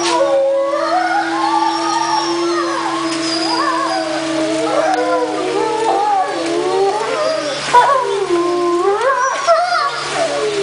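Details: Wolf chorus, many wavering howls overlapping at once, swooping up and down in pitch in a dense, continuous tangle of voices with a steady low hum underneath.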